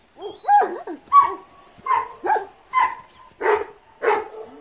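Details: Kangal puppies giving a run of seven whiny, harmonic yelps in under five seconds, each rising then falling in pitch, repeated roughly every half second with brief quiet gaps between, no other clear sounds.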